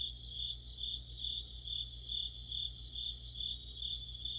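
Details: Autumn insect chorus led by crickets, recorded beside a streetlamp: steady high trilled chirps pulsing about twice a second, with overlapping faster rhythmic chirping from other insects above and a low steady hum beneath.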